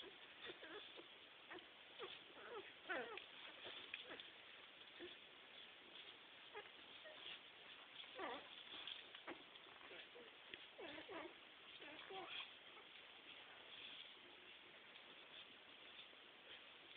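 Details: Litter of seven six-day-old Labrador-Boxer mix puppies nursing at their mother's teats, born 23 April 2009; steady soft wet smacking clicks, irregular and rapid, over a low hiss, with faint sounds from the nest.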